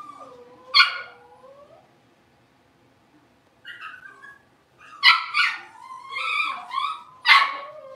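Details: Young blenheim Cavalier King Charles Spaniel puppies from a litter of five, born around New Year's, settling into a bigger indoor pen; loud high whining yelps, sliding up and down, with a cluster of sharp yips between five and seven seconds.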